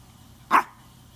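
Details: Maltese dog wanting to play fetch, having brought the ball to be thrown: a single short sharp bark, bright and clipped, in an otherwise quiet room with a low steady hum.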